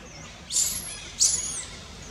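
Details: Angry baby monkey riding on its mother's back near Angkor Wat, Cambodia, denied milk by her, lets out two piercing, high whistled squeals in quick succession, each arching and then trailing off.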